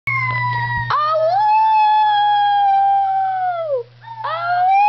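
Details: Piper, a Schnauzer, howls in long sustained tones that rise at the start, hold steady, then slide down, with a new rising howl beginning near the end; a steady low hum runs underneath.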